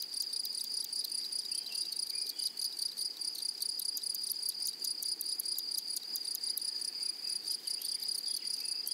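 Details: Meadow grasshoppers stridulating in flowery prairie: a continuous thin, shrill hum overlaid with quick clicking bursts that come in uneven runs, steady in loudness, with no birds, voices or wind standing out.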